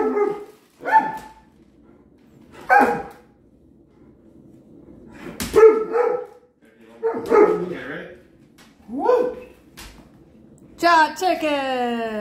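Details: Giant male Alaskan Malamute, worked up about dinner and the chicken treat that follows his insulin shot; short yips and barks about every two seconds, ending in a longer, descending howl-like note, indoors.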